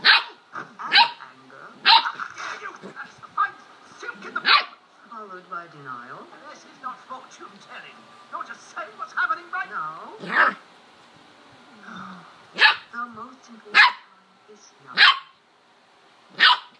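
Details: A female corgi playing alone in her bed out of boredom gives sharp, repeated barks with whiny, wavering vocal sounds between them.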